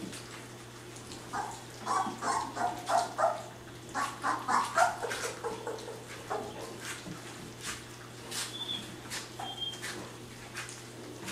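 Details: Three-week-old puppies indoors at their first meal of gruel on April 1, 2010, giving bursts of short, high whining squeals in quick clusters, mixed with wet lapping and clicking eating noises and a steady low hum.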